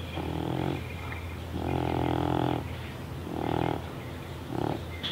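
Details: Baby, a deaf pet cat with neurological and breathing problems, snorts like a pig while awake: four loud, rough, pig-like snores, each lasting under a second to about a second, with short pauses between them.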